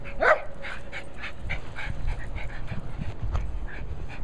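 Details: Abby, a female Cairn Terrier playing with her ball, gives a brief whine, then pants in quick, breathy bursts roughly every half second over low rumbling background noise.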